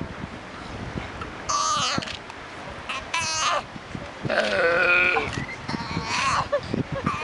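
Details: Sea lion pup calling to its mother: four wavering, bleat-like cries with a quivering tone, each under a second long and spaced about a second apart, over a steady background hiss.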